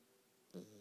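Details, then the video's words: Lucy, a pet dog, snoring in her sleep: after near silence, one short, rough, low-pitched snore burst with a buzzy, layered tone that trails off quietly. "Lucy snoring"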